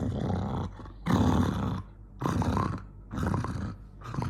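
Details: Angry dog Jonggi snarling in close, loud, rough growls, long throaty bursts run almost together with brief dips between, harsh and noisy through the whole range.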